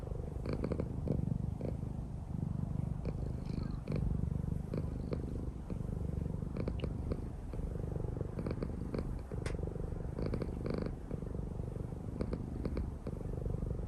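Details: Domestic cat purring while kneading on its owner's lap indoors; steady low rumbling purr runs continuously through the whole stretch, with faint soft rustling and clicks from movement on the lap.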